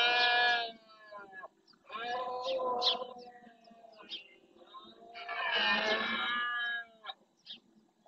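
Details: Rut in Doñana National Park's marsh, Spain: red deer males roaring to assert territory, a run of overlapping raspy bellows of varying length, the later ones loudest, with softer calls filling the gaps.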